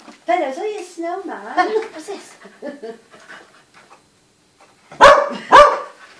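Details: Dog barking at a snowman: a person speaks for several seconds, then after a pause the dog lets out two loud, abrupt barks half a second apart.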